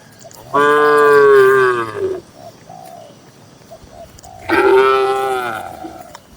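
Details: Tame cattle, dozens gathered in a farm shed, give two loud, rich, harmonic moos. Each lasts about one and a half seconds and slides slightly downward. The moos are about four seconds apart, with soft cooing calls in the quiet gap between them.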